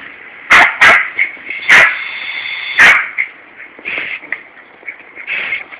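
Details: A Yorkshire Terrier on a warm summer day in a garden in Corby, England, gives sharp, high yapping barks in quick irregular bursts at a hosepipe as the lawn is watered, with a steady hose hiss behind.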